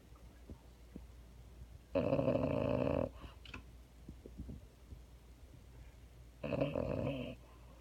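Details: A female French Bulldog snoring while being held indoors: two loud, rasping snorts about a second long each, several seconds apart, with quiet breathing and faint clicks between.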